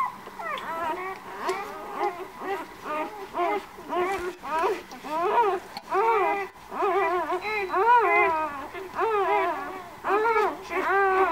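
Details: White Swiss Shepherd puppies of a kennel litter born 11 August keep up a chorus of wavering, nasal whimpers, each call bowing up and down, arriving in uneven bursts about once a second.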